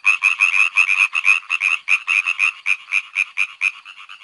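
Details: Frogs giving rapid, grating croaks in an uneven rhythm, dense at first and thinning slightly toward the end, a bright rattling chorus alone.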